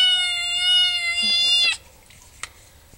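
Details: Pet cat Maud'dib, around feeding time, lets out a single sustained, even-pitched meow of nearly two seconds, followed by quiet with a few small knocks.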